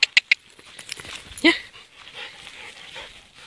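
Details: Cheerful standard poodle at play outdoors: three sharp clicks at the start, then one harmonic bark partway through, with soft rustling afterwards.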